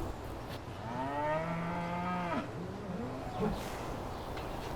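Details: On a West Midlands farm in spring calving season, a cow gives a long, low moo that holds steady, then bends and fades; it is likely among cows due to calve that are kept indoors.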